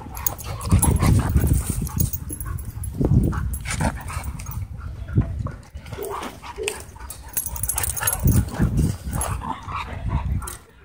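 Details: Play-fight between two dogs at a dog park, heard as dense, gravelly growls in rapid bursts. Brief higher whines or yips come around six seconds, then the rumbling snarls swell again.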